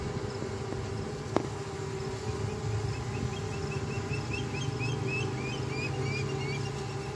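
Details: Swarming honey bees: the old queen, thousands of workers and a few males take to the air in search of a new home. An even buzzing hum plays beneath a series of quick rising bird chirps, after one sharp click.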